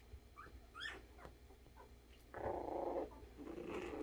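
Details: Playing Havanese puppies: a few high, rising squeaky whimpers come first, then a sustained gritty growl lasting under a second, followed by a softer rumbling growl.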